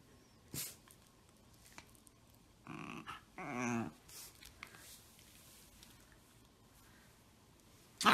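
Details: Shiba Inu growling in brief low rumbling bursts with whimpering overtones, two main phrases in the middle, separated by quiet gaps and scattered clicks and rustles.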